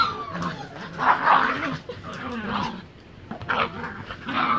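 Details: Three Miniature Pinschers wrestling in play on a living room floor, giving snarling growls and yippy barks in uneven bursts, with a low continuous rumble underneath and scuffling.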